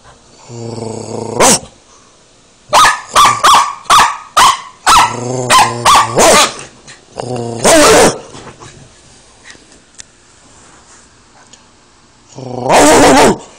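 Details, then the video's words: Bodhi, a pet dog, barking back at his owner, who growls at him: a brief growl, then a rapid run of about ten loud, sharp barks, a pause, and another burst of barking. "Growling and Barking at Bodhi"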